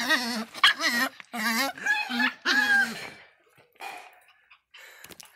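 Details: Angry miniature pinscher letting out several wavering, whining yelps in quick succession, then falling quiet apart from a faint rustle and one short bark near the end.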